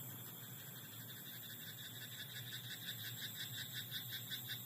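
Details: Night-time frog in a rice paddy. Faint pulsed croaks grow into a clearer rhythmic series of short rattling notes, roughly three each second, through the second half. A steady low drone and a high whining hiss fill the background.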